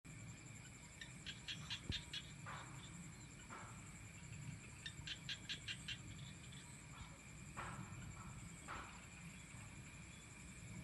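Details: Frogs calling on an evening in the rice fields around a home village, in bursts of rapid clicking pulses, a train near one second and another near five seconds, with scattered single croaks over a steady high insect drone and low rumble.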